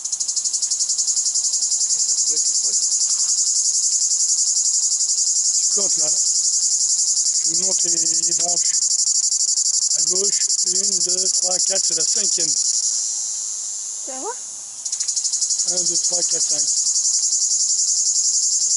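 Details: A cicada's steady, high-pitched summer buzzing drone runs unbroken, with a man talking in French.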